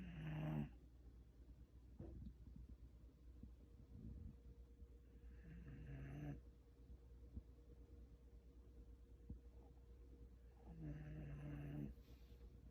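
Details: A sleeping Shiba Inu snoring loudly, as a person might: three nasal, droning snores, each about a second long and spaced roughly five seconds apart, over a steady low background hum.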